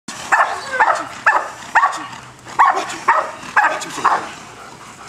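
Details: Male German Shepherd barking during bite work training: about ten loud, sharp barks, roughly two per second in a steady rhythm, with a handler's voice between them.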